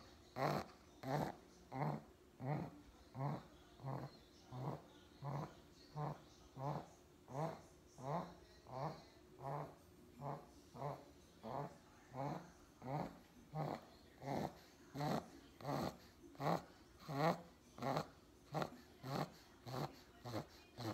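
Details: Four-month-old pug puppy asleep indoors, snoring steadily: around thirty raspy, wheezing snores, evenly spaced less than a second apart, growling in tone and keeping a regular rhythm throughout.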